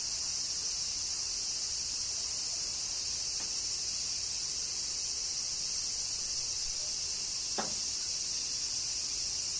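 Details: In Kyoto, Japan, summer cicadas keep up an unbroken, sizzling high drone; a single sharp tick sounds toward the end.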